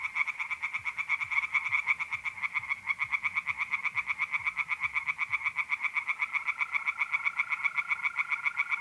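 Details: Tree frogs singing at night in a pond in mid-April, north-east Italy: a dense chorus of rapid, rattling croaks repeated about four per second, with a steady high trill of mole crickets joining in the latter part.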